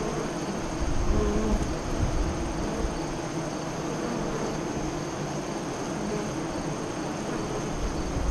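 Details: Steady droning hum of a honey bee colony at its westward-facing hive entrance near Lyons, Nebraska, recorded during the 2017 eclipse in mid-afternoon; a thick, even buzz swelling slightly near the start, with a rumbling low background.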